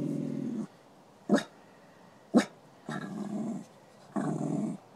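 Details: At a park, the male dog Beanie growls at a female greyhound he may be courting. Three throaty, pulsed growls of under a second alternate with two sharp knocks.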